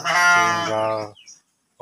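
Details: Breeding-stock sheep kept in a pen in Kampung Tanjungjaya, Desa Tanjung, Cipunagara, Subang: one loud, rich, nasal bleat lasting about a second and tailing off slightly, then quiet before another call begins.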